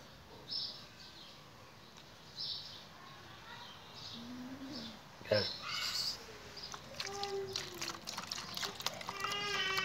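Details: Small kittens attacking and eating chicken meat; toward the end come several harmonic, wavering meows, preceded by scattered short thin cries, sharp clicks and a brief crackling burst of feeding or handling noise.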